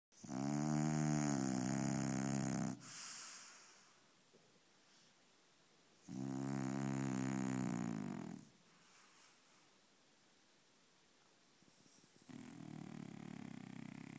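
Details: A French Bulldog asleep and dreaming, snoring loudly indoors; long rasping, harmonic-rich snores lasting about two to three seconds each, separated by quiet breathing, a softer snore beginning near the end.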